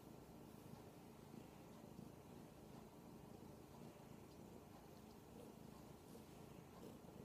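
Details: Radish, a giant kitten, demanding attention; a soft, steady low purr rumbles continuously throughout, quiet and even, with faint background hiss and no other clear sounds.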